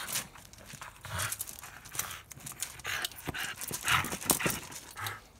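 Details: Evie, a Fox Terrier, going after a ball, giving fast irregular huffing breaths and snorting bursts, about two a second, mixed with low thumps and handling noise throughout.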